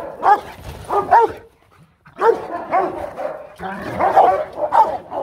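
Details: Rottweiler guard dogs in Vietnam, kept as family guards, barking powerfully: two deep barks, a short pause, then a louder run of overlapping barks, with a voice calling the dogs in the background.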